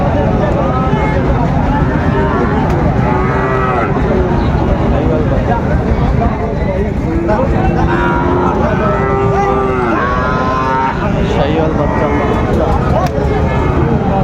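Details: Sahiwal bull calves at Raniganj market, Dinajpur, Bangladesh, on 16 September 2024; drawn-out lowing rises above a constant din of talking traders and bustle, strongest about two-thirds of the way through.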